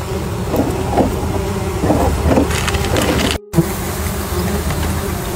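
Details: A dense, steady hum of many honey bees during honeycomb harvesting from beehives, with occasional knocks and scraping of wood.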